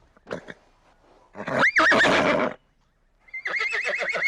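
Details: Horse whinnying: a loud, shrill neigh with a rising and falling peak lasting about a second, then after a pause a second high, quavering, vibrating whinny, preceded by a couple of short soft snorts or thumps.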